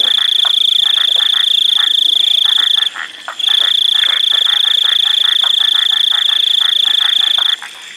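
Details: Painted chorus frog (Microhyla butleri) giving quick rasping clicks, about four per second, over a steady insect whine.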